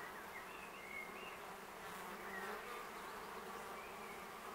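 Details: A large wild-living colony of Western honey bees in a tree in Augsburg's city forest, Germany, in May, after overwintering, gives a steady, dense buzzing hum from many wings amid busy flight activity at a shady, near-ground site.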